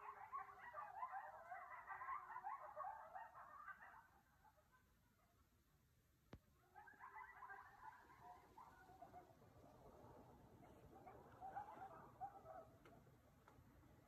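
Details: Coyotes howl and yip together outside a house at 2 am under a full moon, sounding as close as the backyard and louder than usual, in wavering, high-pitched bursts with quiet gaps between choruses.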